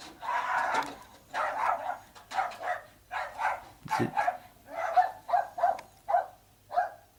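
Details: Fox terriers next door, left untended by their owner, bark in an uneven run of muffled, sharp barks, one every half second to a second. They are heard through a closed bedroom window at a townhouse, and the problem has persisted since April 2014.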